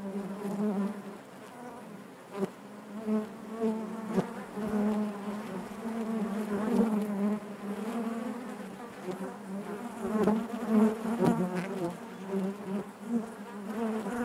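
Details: Inside a honey bee hive, a continuous low buzzing drone of countless bees, pulsing gently in loudness with occasional sharper individual buzzes over the constant hum.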